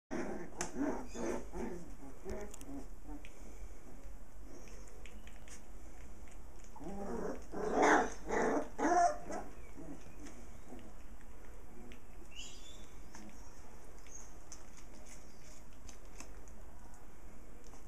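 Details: Six playful puppies with their mother dog, heard in a burst of yips and growly barks around the middle of the clip. Quieter scuffling sounds and occasional voices come before and after the burst.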